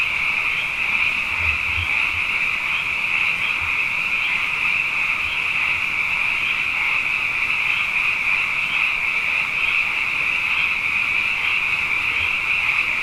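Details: After two wet years, many frogs fill the night with a sustained chorus, a dense shrill trilling band with faint regular pulses and occasional low soft knocks beneath.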